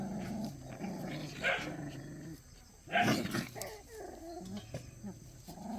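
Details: Playing puppies of Cheondori give rough, harmonic yelps and a couple of sharper barks, the loudest around midway, mixed with lower grumbling vocal sounds and scuffling noise.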